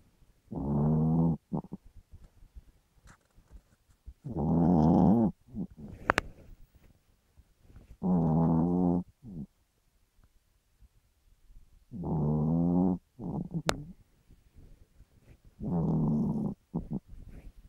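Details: Chihuahua snoring loudly in the middle of the night, waking its owner: five rasping, buzzy snores about a second long, repeated every three to four seconds with quiet breathing and small clicks between.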